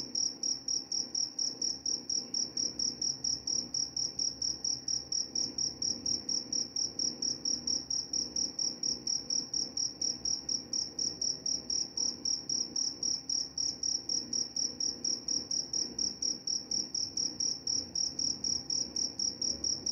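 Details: Crickets offered as a sleep aid and mouse repellent, giving a steady run of high, pure chirps, roughly four per second and evenly paced for the full stretch, over a faint low hum.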